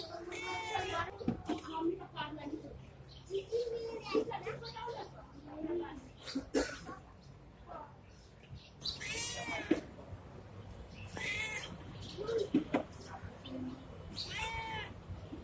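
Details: Pregnant Indian street cat, friendly toward people, giving several short harmonic meows, most in the second half, between frequent human speech. A steady low hum runs underneath.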